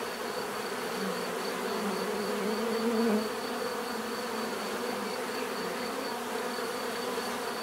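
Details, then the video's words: Steady swarm-like drone of bees, many wings blending into one even low buzz, with one insect flying close and rising in pitch and loudness around the third second before fading back into the hum. "bees therapy relaxing natural buzzing sound"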